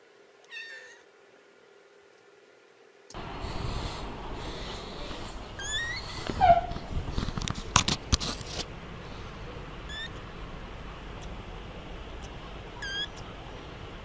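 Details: Three-week-old kittens calling for their mother's attention: a few short, high, thin meows scattered across the recording, with several sharp clicks and steady background hiss.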